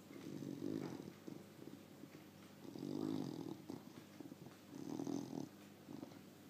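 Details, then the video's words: Bulldog asleep, snoring in three slow rumbling breaths about two seconds apart, each a low buzzy swell fading between, over steady background hiss. "Bulldog sleep"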